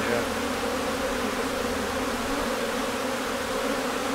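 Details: Honey bee colony a few days before swarming, in May in Newfoundland, bees flowing in and out of the hive; steady dense humming drone throughout, with faint human speech.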